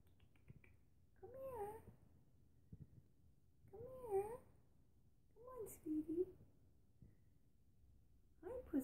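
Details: A rescued feral cat, indoors and cautiously coming out from hiding near another cat, Gilbert; four wavering, rising-falling meows spaced about two seconds apart, with soft human speech between them.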